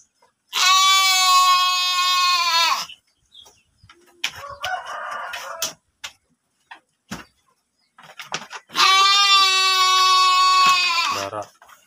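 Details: Sheep kept as breeding stock in a pen at Tanjungjaya, Tanjung village, Cipunagara, Subang: two long, steady, nasal bleats of about two seconds each, separated by quieter rustling and pen noises.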